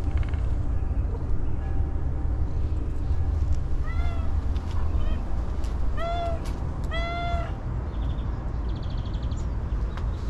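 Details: Hungry homeless female stray cat, said not to have eaten for a long time, giving a few clear meows in the second half, three or four bent harmonic cries, over constant low traffic-like rumble.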